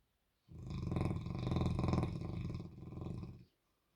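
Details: Loud snore from Albert, a sleeping, dreaming Bernese Mountain Dog with tongue out: one drawn-out, deep, rattling rumble lasting about three seconds, swelling and fading.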